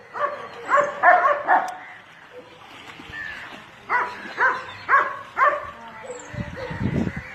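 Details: Pet dog during a bath, barking in short bursts: four quick barks, a pause, then five more evenly spaced, ending with a low splashing rumble.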